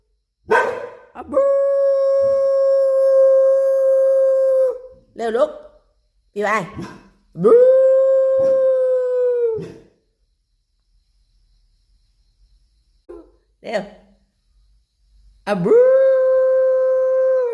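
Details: Domestic dogs, a Thai Bangkaew and a Rottweiler, howling along with their owner's voice: long steady held tones broken by short gaps, each howl lasting several seconds, with brief human voice between.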